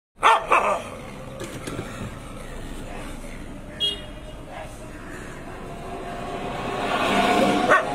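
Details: Loud, rough barks from a German shepherd in the street come in quick bursts, with a sharp double bark at the start and more later, over a constant rumble of street and traffic noise.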